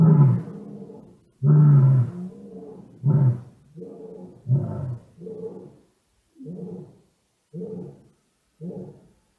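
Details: Deep penetrating calls of black-maned lions close to !Xaus Lodge in South Africa's Kgalagadi National Park, January 2018, cellphone recording: powerful booming roars that fade into a run of shorter, softer grunts, roughly one per second.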